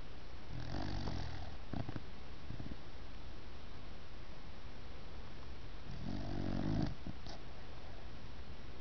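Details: A six-month-old puppy snoring while asleep indoors: low, rough breathy snores, one near the start and a louder one around six seconds, with a quiet steady background between.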